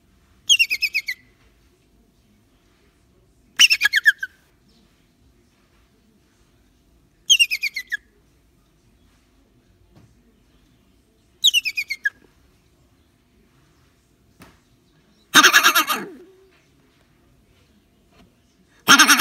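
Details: Rock hyrax (dassie) in a transport container, upset after being startled, keeps moaning: repeated bursts of squeaky notes falling in pitch, every three to four seconds, ending with louder, harsher rasping bursts.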